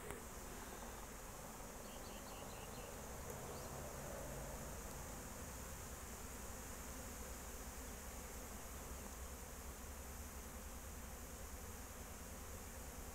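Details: Honey bees at a beekeeping apiary in 2023 during a rainy spell: a steady, low, droning hum fills the whole stretch, with a few faint chirps from a small bird around the second and third seconds.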